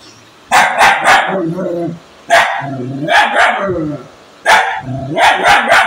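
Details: Three bursts of quick, hard barks from an angry dog, each triplet trailing into a low rumbling growl before a short silence.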